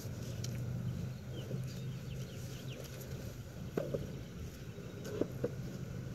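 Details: Honey bee swarm in Wisconsin in June 2016, just before people attempt to catch it: a steady low droning hum with rich overtones runs throughout, broken by a few sharp clicks and knocks.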